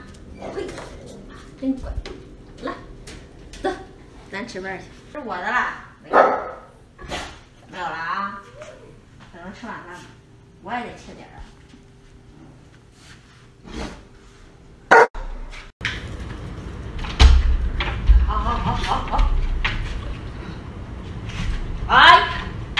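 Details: Alaskan Malamutes, a family of giant dogs eating together, give a run of harmonic, wavering woo-like vocalisations and short barks amid people talking in Chinese, followed by louder rustling and handling noise.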